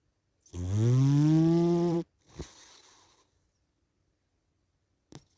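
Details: Sleeping cat snoring: one long, droning, buzzy inhale of about a second and a half that rises slightly in pitch, then a soft breathy exhale and near silence with a faint click at the end.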